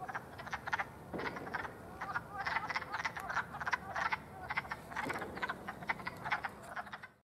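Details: A chorus of wood frogs (Lithobates sylvaticus), recorded in spring around April 5, gives rapid, duck-like clucking croaks that overlap throughout.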